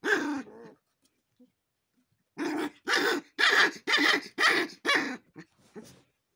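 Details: Gaddi dog puppies, the Himalayan shepherd dog also called Bhotia, showing aggression: one growl-bark, a silent pause, then a run of six rapid harsh barking growls about two per second, fading into small yips.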